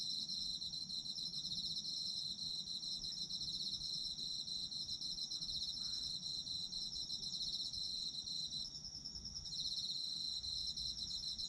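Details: Dense high ringing trills from many Japanese autumn insects run steadily. One caller's pulsed song fades briefly near nine seconds before the chorus swells back, over a faint low hum.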